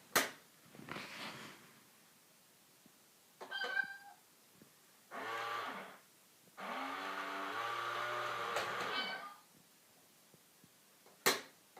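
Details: Domestic cat meowing while facing a cat in a box, several drawn-out, wavering meows of a second or two each, separated by quiet pauses and a few sharp knocks.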